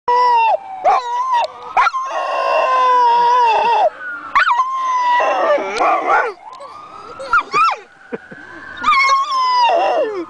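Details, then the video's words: Sanger, a pet dog, howls in response to a siren: long sustained tonal howls sliding and wavering, with rich harmonics, broken by brief gaps and sharper yelping notes, another dog, Hudson, nearby and disliking it. "sanger howling with hudson"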